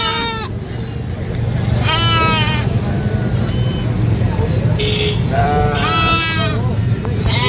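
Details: Baby goat screaming on a farm: three separate quavering bleats, harsh and harmonic, spaced by quieter gaps with faint short noises, all over a constant low droning hum.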